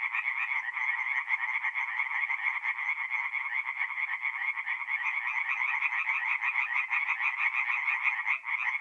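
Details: Nighttime tree frog chorus from a forest pond in north-east Italy in mid-April: overlapping rapid croaking pulses run continuously, with a brief dip in loudness near the end before resuming.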